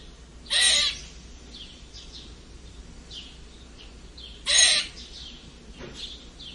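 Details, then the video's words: A squirrel's peculiar squeak, two loud grating squeals about four seconds apart, a faint softer one after, against light high-pitched bird twittering. "Eichhörnchen seltsames Quietschen !"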